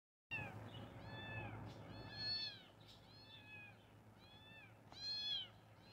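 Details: Kitten meowing in a small room, several high, arched mews with rich overtones at irregular intervals, two louder ones near the middle and end, over a steady low hum.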